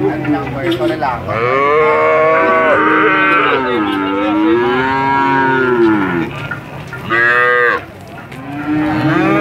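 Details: Cattle giving very long moos: several drawn-out, strongly harmonic lowing calls overlap and waver in pitch, each held for seconds, with a brief drop in loudness near the seven-second mark before the mooing resumes.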